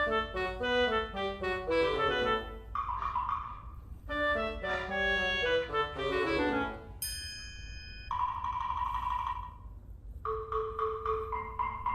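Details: Light instrumental music with bright mallet notes and melodic phrases, separated by short pauses.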